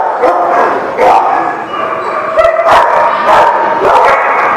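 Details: Dogs at a dog lot keep up dense, overlapping barking and yelping, loud and nearly unbroken, with faint human voices mixed into the din.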